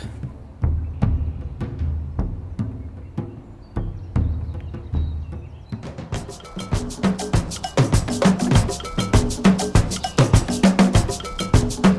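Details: Percussive drum music with steady wood-block and bass-drum beats, growing denser and busier after about six seconds; no animal voices can be picked out.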